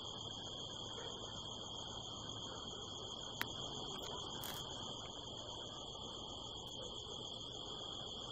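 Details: Crickets at night under a harvest moon in the California desert hills, recorded from a rooftop; steady, unbroken high trilling in several stacked bands over a low hiss, with one sharp click and a brief crackle midway.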